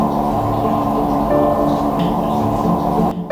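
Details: Only ringing, gong-like ambient music is heard, with no animal voice.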